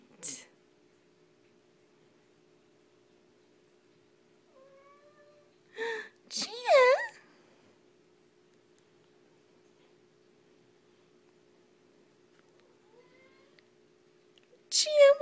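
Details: Domestic kittens playing indoors; a short, bending meow sounds near the middle, with brief squeaky bursts at the start and end, a person's voice nearby and a steady low hum throughout.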